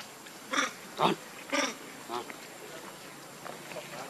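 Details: Baby monkey named Lucie, shown as pitiful: four short, harsh, harmonic cries about half a second apart, rising in a burst and then fading into softer, fainter squeaks over a quiet background.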